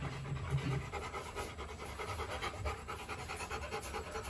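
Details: Panting from two young Rottweilers in their kennel: fast, even, breathy pulses repeated several times a second over a low rumble.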